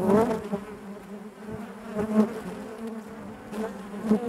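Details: Honey bees buzzing inside their hive, a dense continuous hum with a steady low drone and layered overtones, swelling and fading with brief louder bursts as individual bees pass close.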